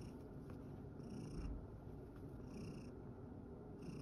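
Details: Sacchan, a rescued male cat living at Kazano Kobo, purrs after tiring himself out playing in a field: a steady low rumbling throb, with faint high shimmering bursts recurring roughly every second and a half.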